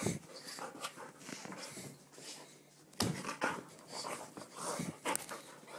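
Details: Excited Golden Retriever named Izzy breathing hard in a small room, fast breathy pants in clusters, with a louder burst around the middle and a short whine-like rasp.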